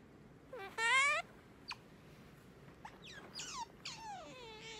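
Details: Morning wake-up calls from Sakura, a pet otter indoors: one short bright squeal, then scattered faint chirps and falling squeaks, ending in a drawn-out descending whine over a quiet room.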